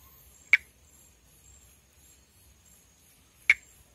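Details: Perereca-macaco (Pithecopus nordestinus), a Brazilian endemic tree frog, calling around amplexus: a pair of dry snapping clicks three seconds apart, with a faint steady high hum and quiet background between them.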